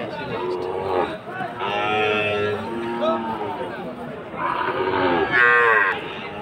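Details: Sahiwal bull calves for fattening at the Aftabganj cattle market, Dinajpur, Bangladesh, on 4 March 2023. Loud lowing moos in bursts, a strained higher call near the end, with crowd noise behind.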